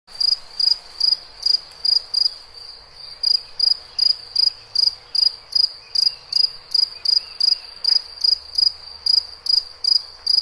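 A cricket chirps in steady, high-pitched pulses, several short trills every few seconds.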